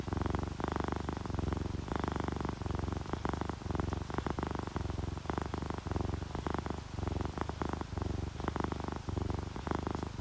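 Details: Domestic cats, a ginger tabby and a calico, purring in relaxation as rain falls; loud, deep rhythmic purr with clear pulses roughly every second beneath a continuous rain hiss.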